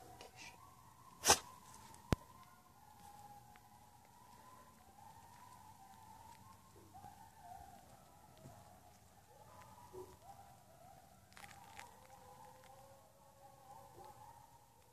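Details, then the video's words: Coyotes singing nearby, heard from a front yard, howl together in wavering, overlapping voices that slide up and down in pitch. "Coyote Song"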